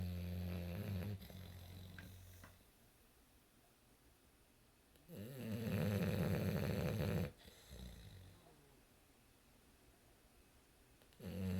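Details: A sleeping English Bulldog snores in deep, rumbling rasps, with loud bursts between quieter breaths.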